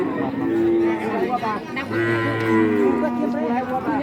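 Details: Cattle at Kajen market, Pekalongan, Central Java: a few short moos and one deep, steady low drone sound among nearby talking voices and general market bustle.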